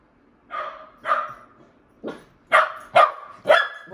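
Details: A Shetland sheepdog indoors barking at people outside that he doesn't like: six sharp barks, spaced roughly half a second apart, growing louder toward the end.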